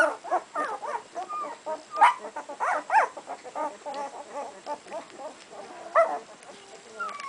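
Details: Litter of puppies aged two weeks: soft, fast, pulsing whimpers and squeaks, with a few sharper high yelps standing out, over a constant faint electrical hum.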